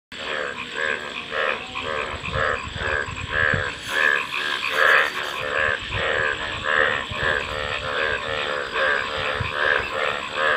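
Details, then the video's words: Frogs calling together in a dense chorus: pulsed, rasping croaks overlap steadily throughout, with a brief noisy burst near the middle and a faint high hiss behind. "Frog Calls | ব্যাঙের ডাক"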